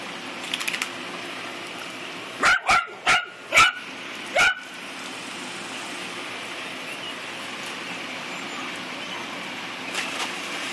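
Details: Two-year-old female mini Dachshund at her swimming pool: five sharp, high barks in quick succession around the middle, a few fainter yips earlier, then steady background hiss with light splashing.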